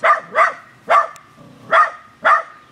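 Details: A female corgi puppy gives sharp, high barks in a quick, uneven string, barking at the neighbour's hanging flowers, which at her level seemed to float and look suspicious.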